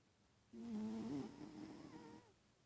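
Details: Sleeping pet cat snoring: one drawn-out, tonal, wheezy breath of nearly two seconds, steady then sliding slightly, set against quiet indoor stillness.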